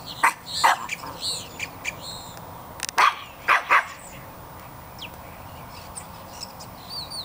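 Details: Pet dogs on early-morning squirrel patrol around 7 a.m., reacting to birds and squirrels outside: a few sharp, short barks in quick pairs, then quieter, with high bird chirps and a person's voice in between.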